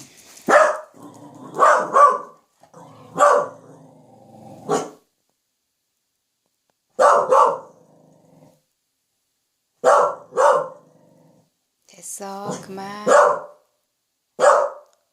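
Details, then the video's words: Welsh Corgi kept as a family pet, emboldened to bark when its people are near, while its owner coaxes it to bark quietly: a series of sharp, loud barks, often in pairs, with short pauses and a drawn-out, whining vocalization near the end. "웰시코기(Welsh corgi) 코코야 조금만 작게 짖어봐.."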